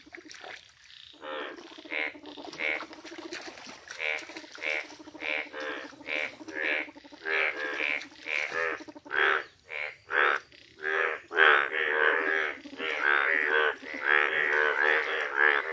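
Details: Several yellow Indian bullfrogs in a village chorus: dense, overlapping harsh croaks that build from scattered calls into a rapid continuous stream, with a faint high hum throughout.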